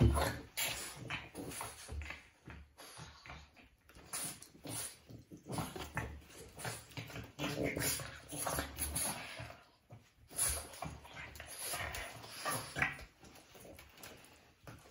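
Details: Two Boston Terriers in a pointless fight at home: a steady stream of gravelly growls, grunts and snuffles, louder at the start and in waves, with a short lull near the middle and scuffling noise throughout.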